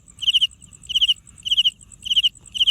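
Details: A cricket makes its sound by rubbing its wings together, chirping in short trills of about four pulses repeated roughly every half second.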